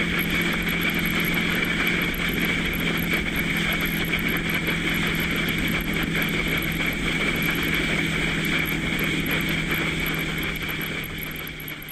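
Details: Continuous wind and engine-like hum with a steady low drone, with no animal calls heard.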